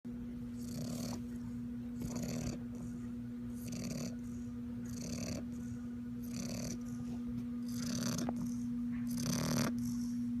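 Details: A sleeping bulldog puppy snoring like an old man: rapid, rhythmic raspy breaths about four per second, rough and noisy, over a steady low electrical hum.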